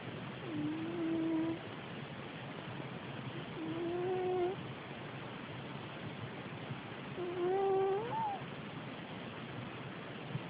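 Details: Snoring house cat, soft squeaky whistles on three breaths, each about a second long, the last one rising higher at its end, with low background hum in a small room.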